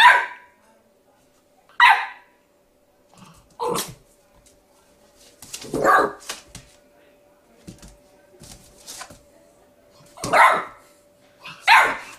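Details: Milo, a puppy facing its reflection in a mirror, gives single high yaps spaced a couple of seconds apart, some softer and breathy, with quiet rustling between barks.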